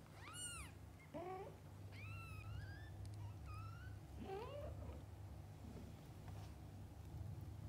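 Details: Domestic cats, a mother with her kittens, give a run of high, thin mews, each arching up then down, about five cries within eight seconds over a steady low indoor hum.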